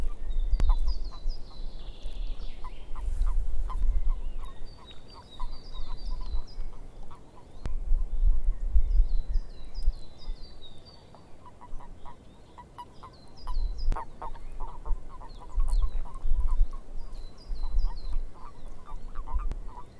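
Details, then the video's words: Frogs calling in a swamp: a dense chorus of short, clipped croaks repeating rapidly, overlaid by groups of higher chirping notes, with a deep low rumble like wind surging and fading throughout. "Frogs In The Swamp"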